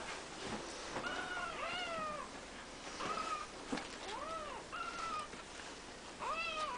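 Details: Siamese kittens, three weeks old, indoors in a play-pen beside their mother and grandfather, giving about six high, arching mews in quick succession, each short and bent, over soft rustling and shuffling.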